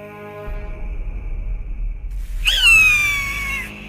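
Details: In the Pantanal, a capuchin monkey seized by a diving harpy eagle lets out one shrill, harmonic scream that drops slightly in pitch over about a second, following held musical tones.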